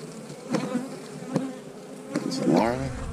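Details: Honey bees on a hive frame during an inspection for eggs, a steady low hum with a fainter overtone, broken by sharp clicks and knocks of frame handling and a louder swell near the end.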